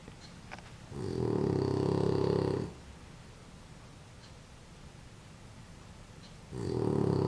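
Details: A female French Bulldog sleeps wrapped in a warm blanket after a bath, snoring loudly with long, rumbling, low breaths separated by quiet pauses.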